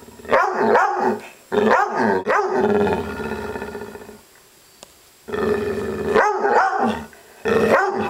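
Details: Upset female dog growling indoors in rough, harmonic bursts mixed with bark-like yips, loud for about a second, then a longer grumble fading away, a pause, and two more growling outbursts.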